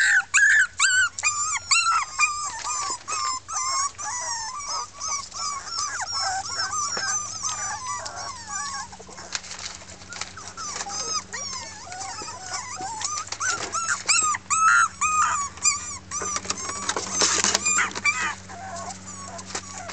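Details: Litter of six red Miniature Pinscher girl puppies from 2013 protesting loudly once confined again: continuous overlapping squeaky whines and yaps, several pups at once, steady and restless throughout.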